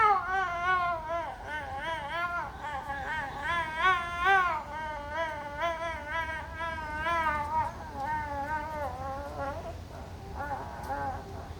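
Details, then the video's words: Snow leopards at the San Diego Zoo give long, wavering, cry-like yowls during mating, the pitch quivering up and down. "Snow leopards make funny sex sounds"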